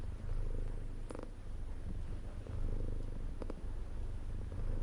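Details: Deep vibrating purr from a house cat, unbroken and steady with gentle pulses of loudness, a couple of faint clicks above the rumble.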